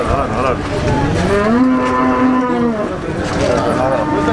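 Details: Cattle at a Ponorogo market before Eid al-Adha, 5 August 2018: a sustained mooing call with a wavering tone, surrounded by dense murmur of people and other market noise.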